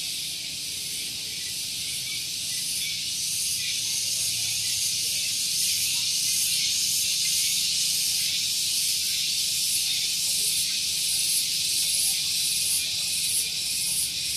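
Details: Cicadas calling in the morning at Gunung Geulis, Bogor, West Java, near parked vehicles: a shrill, sizzling drone with steady rhythmic pulses roughly every half second, holding loud throughout.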